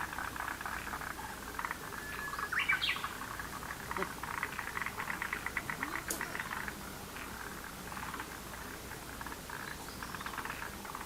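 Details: Chorus of frogs in a lotus pond, continuous pulsed rattling croaks from several animals, with a bird chirping early on and a single sharp click midway.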